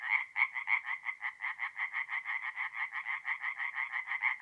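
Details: Night chorus of tree frogs at a forest pond in north-east Italy, mid-April, with rapid raspy croaks repeating about three times a second and louder notes at the start.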